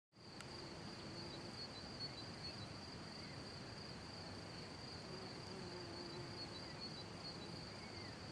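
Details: Cricket singing at night by a hole in the ground: a steady, high-pitched continuous trill with faint rapid pulsing holds unbroken through the whole stretch, over a soft low background hiss of night ambience.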